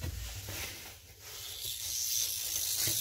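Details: Non-venomous corn snake kept at home, vibrating its tail to imitate a rattlesnake; a dry, continuous buzzing hiss with uneven rapid pulses that rises and dips in loudness over three seconds.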